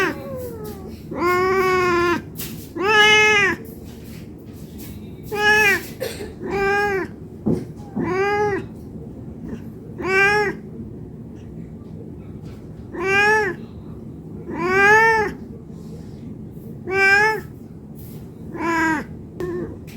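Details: Food-begging meows from a hungry domestic cat: about twelve short, arched meows spread unevenly over twenty seconds. Some come in quick pairs, with brief pauses between groups.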